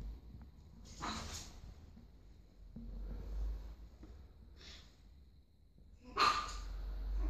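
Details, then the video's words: A pug puppy barking indoors, giving three short, sharp, noisy yaps at uneven intervals over seven seconds, with the last one the loudest and soft snuffling sounds between them. "Pug puppy barking"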